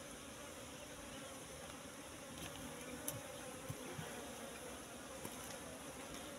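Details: ['Swarm hum of Apis cerana at a bush nest holding honey mixed with pollen; quiet, unbroken droning with a few sharp taps and light rustles.']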